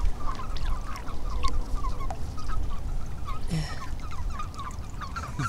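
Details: Common toads (Bufo bufo) in a marsh on 14 April 2013 give short, quacking croaks repeated rapidly over a low rumble of wind.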